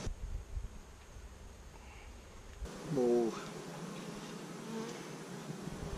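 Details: In week 5 of a new hive colony started in May 2017, a honey bee gives a brief, low, wavering wingbeat hum that swells for about half a second as it passes close by, with quiet background noise and a faint rumble.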